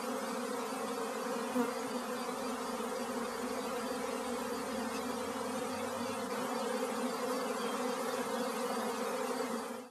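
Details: Swarming honey bees produce a thick, steady droning hum, layered tones holding constant for about ten seconds before fading out abruptly at the end.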